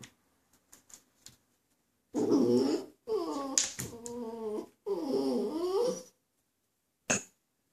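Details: Facing herself in a mirror, Coconut, a female Border Collie puppy of two months and one week, gives three wavering growls that rise and fall in pitch, with a few light clicks before and a sharp tap after.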